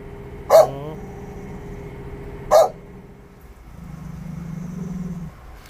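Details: Chow Chow meeting a man for the first time, giving two single barks about two seconds apart, followed by a low steady hum and faint background noise.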